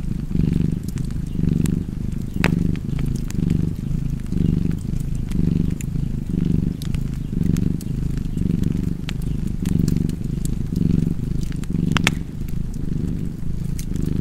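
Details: Domestic cat purring beside a crackling fireplace, a steady low rumble pulsing in roughly one-second breaths, about one per second, with sharp wood-fire crackles and pops scattered throughout.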